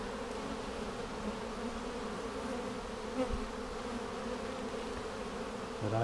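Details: A colony of honey bees, opened on March 10, 2019 to check queen cells a week after a vertical split made with a double screen divider board. Continuous even buzzing drone, low and layered, with a few soft knocks and faint handling noise.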